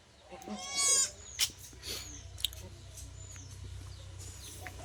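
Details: Female Sirohi goat kid, born the previous night at the Dhantola goat farm in Ranaghat, West Bengal, gives one loud, wavering, high bleat lasting under a second. Softer clicks, rustling and a short chirp follow against steady low farm hum.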